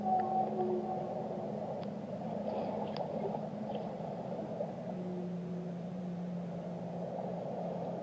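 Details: A whale sings drawn-out, level low tones, with a short higher note at the start and a long, slightly falling moan in the second half, over a constant deep ocean rumble.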